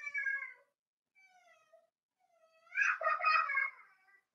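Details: Four-week-old Cavalier King Charles Spaniel puppies in an indoor home puppy pen give thin, harmonic whining cries, some drawn out and falling. A louder, rougher burst of overlapping whimpers follows near the end.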